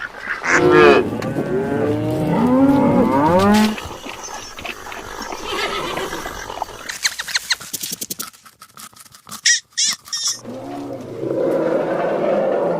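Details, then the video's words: Cow mooing: several long, drawn-out low moos with wavering, sliding pitch overlap through the first four seconds, then clattering and scattered knocks, brief sharp bursts, and a steady low rumble to the end. "Farm Animal Habitats: Chicken, Dog, Fish, Cow, Horse, Rabbit, Elephant, Goat – Animal Sounds"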